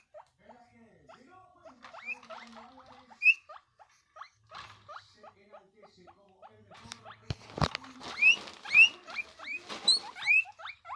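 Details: Guinea pig giving a loud noise as a happy reaction: a series of short squeaky chirps, sparse at first, then louder rising high-pitched wheeks repeating about every half second, with a brief sharp clatter midway.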